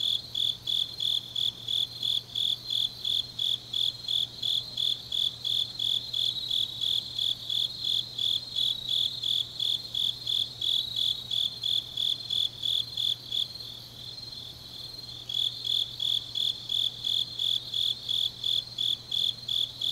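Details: Autumn grass insects at night in Changnyeong, Korea: a steady run of high chirps roughly three per second, briefly thinning to a softer continuous hum midway before the pulses resume, other insects faintly layered above.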